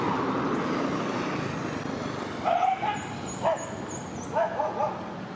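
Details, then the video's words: Village dogs facing each other in public: after a steady hum of background noise, short yelping barks break out in several quick bursts, with a thin high whistling tone running above them midway. "Village dogs facing each other in public"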